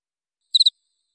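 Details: Single jangkrik chirp from a Indonesian masteran recording meant for training songbirds: one brief, very high, clean trill of three rapid pulses, then silence, with no other sounds.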